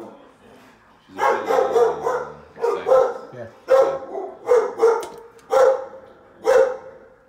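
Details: Chloe, a female Belgian Malinois described as unpredictably aggressive, barks during a training session in Northern New Jersey: about seven loud, harsh barks, single and doubled, come in an uneven run after a quiet start, with a voice heard briefly.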